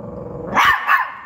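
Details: Chihuahua at home giving two short, harsh, growly barks in quick succession, with its owner calling it over right after.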